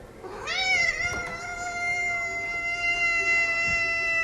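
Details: Domestic cat giving one long, drawn-out meow that rises at the start and then holds a steady, harmonic-rich pitch for over three seconds.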